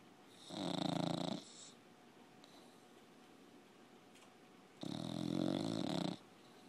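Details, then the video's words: Pet bulldog asleep, giving two drawn-out, rough snores of about a second each, harsh and breathy with a low rattling core, separated by a quiet pause of roughly three seconds. "Snoring bulldog"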